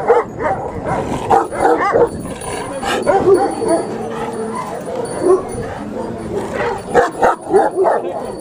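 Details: Pakistani Bully Kutta, a large dog, barking in quick loud bursts several times a second, with overlapping yelps and a few low harmonic tones in a noisy setting.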